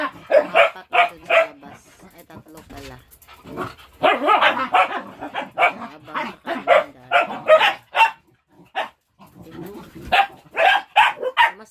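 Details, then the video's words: Several pet dogs play while waiting for food, giving a long run of sharp, excited barks and yips at an uneven, rapid pace, with people talking and laughing between the bursts. "My dogs are Playing | Playing while waiting for food"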